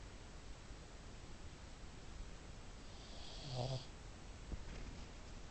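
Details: Soft background hiss broken by a single short, low rasping snore from a female pet pug indoors, followed by a faint tap.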